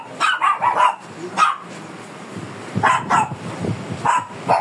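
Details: Fierce Shih Tzu at grooming time in the Philippines lets out a few quick volleys of sharp, high barks separated by short quiet gaps.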